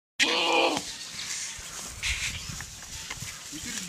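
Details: Young Boer goats on a farm: one short, strained bleat lasting about half a second with a rich nasal tone, then quieter rustling and faint outdoor background noise.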